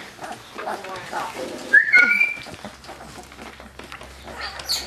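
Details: Two-week-old Labrador Retriever puppies nursing beside their mother indoors, eyes just opening; a thin high whine rises and bends with overtones mid-clip, among soft squeaks, suckling noises and a woman talking quietly.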